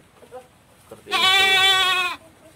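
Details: Young female goat on a livestock fattening farm, in heat and asking to mate, refusing food and calling constantly: one loud, nasal, strongly harmonic bleat lasting about a second, steady with a slight quaver, over quiet background sounds.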